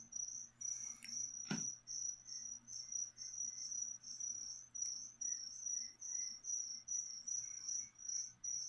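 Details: Feeder crickets offered to a pet leopard gecko chirp in steady high-pitched pulses, each pulse a shrill trill repeated roughly two or three times a second, with a single sharp knock partway through.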